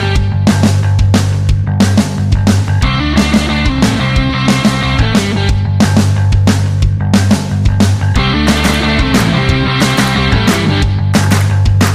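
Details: Heavy rock music with pounding drums and distorted guitars plays throughout, with no animal sound.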